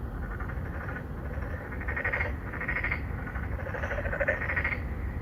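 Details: Three or four narrow-mouthed frogs courting females in an apartment-complex pond in Songdo, Incheon, Korea, recorded on a Galaxy Note9 in 2019; pulsed, nasal croaks come in bursts about a second apart over a steady low rumble.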